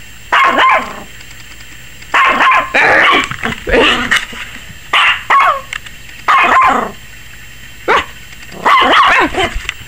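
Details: Maggie, a 21-week-old Yorkshire Terrier puppy, barking frantically and apparently scared of the camera; sharp high yappy barks come in bursts of several, roughly every one to two seconds, indoors.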